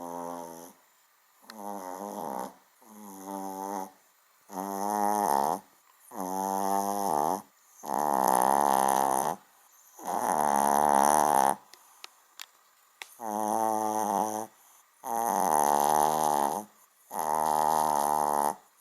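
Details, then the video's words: Small dog snoring loudly while asleep indoors, a snore that sounds like a big dog's; long rasping, buzzy snores in a steady rhythm, about one every two seconds, with short quiet pauses between them. "kleiner Hund schnarcht wie gross"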